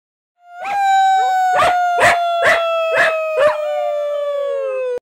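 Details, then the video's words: Norwegian Elkhound howling: one long, steady, tonal howl that slowly falls in pitch, broken by six rhythmic yelping pulses about twice a second in its middle part. "Norwegian Elkhound Leif Howling"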